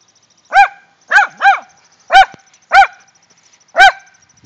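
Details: Rat Terriers Jetta and Sadie worked up after finding a shrew; six sharp, high barks with bright harmonics come in irregular bursts, two of them close together, over a faint steady high-pitched tone.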